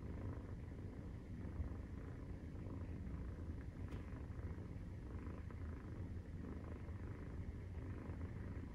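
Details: Purring of a Maine Coon cat while nursing, at 43 days after birth: continuous deep, even rumble, with one brief soft click near the middle.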